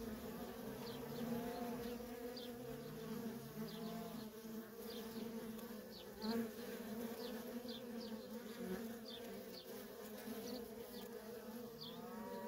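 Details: Steady buzzing drone from nonstop worker bee traffic at a feral honey bee colony, with passing bees briefly shifting the pitch up and down. Many faint, short high chirps repeat in the background.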